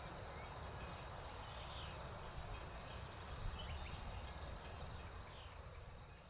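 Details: Crickets after a spring rain sing a bright, steady high trill punctuated by regular chirps about twice a second, with low-frequency background noise throughout.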